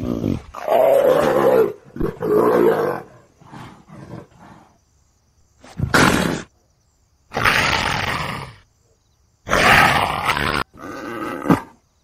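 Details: Leopard giving deep, rasping, harmonic growl-roars over the first three seconds, then softer grunts, followed by three separate harsh, hissing snarl bursts with silent gaps between them and a final short growl.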